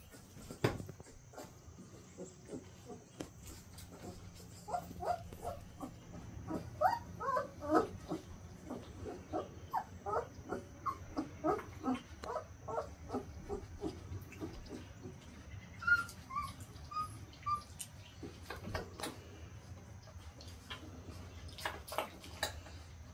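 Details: Litter of Central Asian Shepherd Dog puppies, 2.5 weeks old: many short, thin squeaks and whimpers in quick irregular bursts, overlapping and rising in density midway, with a faint steady hum in the background.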